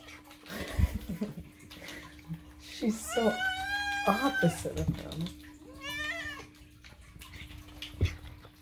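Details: Moo, a rescued cat, meowing for food at home: one long, loud, wavering meow and a shorter rising-falling one, over a person's chatter, music and splashing, running-water-like noise.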